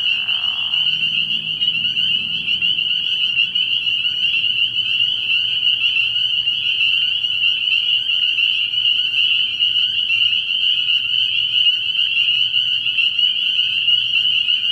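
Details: Spring peepers calling at night from a frog pond early in the year, a dense unbroken chorus of high piping peeps merging into a steady shrill band, with a brief lower rasping sound at the very start.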